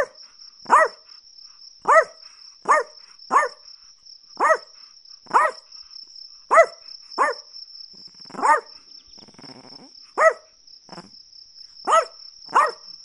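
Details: Small-dog barking from a Chihuahua: about fourteen clipped, shrill yaps over thirteen seconds, some in quick pairs, with a brief scratchy rustle midway. A continuous high-pitched hum persists in the background.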